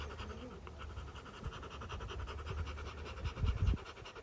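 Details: Rottweiler from a family of Rottweilers, panting after fighting on day 59: quick breathy pants in a steady stream, with a few louder low thumps and scuffs near the end.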